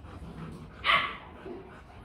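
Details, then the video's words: Rottweiler barking aggressively to threaten another dog; a single loud, harsh bark rings out midway through, short and forceful, over quiet low background rumble. "Chó sủa dọa chó: Tiếng sủa uy lực khi Rottweiler hung dữ"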